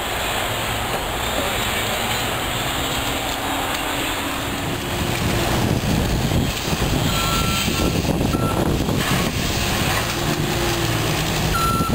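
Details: A truck's low engine rumble and traffic noise fill the clip, with a few faint reversing beeps and no animal voices.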